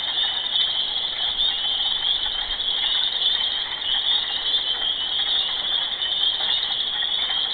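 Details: Mating frogs keeping up their constant loud chorus, a steady high-pitched ratcheting trill that runs unbroken throughout, with no other sounds standing out.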